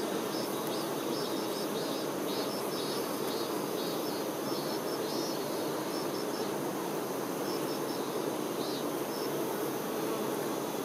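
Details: Many honey bee workers caring for the queen make an unbroken, even, low buzz. Short, faint high chirps come in pairs and triplets over it, mostly in the first half.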